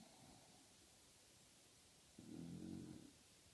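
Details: One of two snoring English Bulldogs lets out a single deep snore under a second long, rough and buzzy with a fluttering, lip-ruffling edge, after soft breathing and low room hiss.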